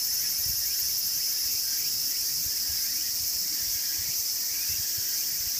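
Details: Walker's cicada (tsukutsukuboushi) calls. An intense, unbroken high-pitched hiss-like buzz is combined with repeated short upward sweeps, ending abruptly at the close.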